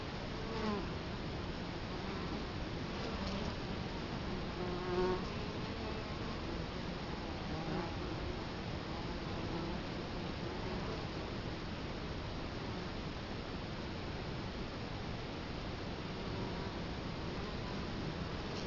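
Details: Italian honey bees at their hive entrance in Colorado Springs in October 2011, filmed up close: faint, wavering drones of several bees come and go over a steady broadband hiss, with one brief louder pass.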